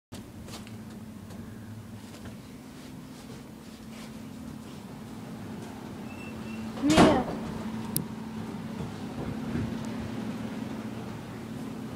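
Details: Indoor hum continues throughout, broken by a sharp door or cupboard knock near the middle.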